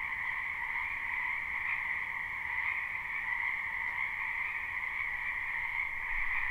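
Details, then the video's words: Live spring recording of numerous frogs in a backyard wetland: an even, droning croak chorus in a higher and a lower band, holding constant for the whole stretch over faint low rumble. "Ambient Noise for Sleep Frogs"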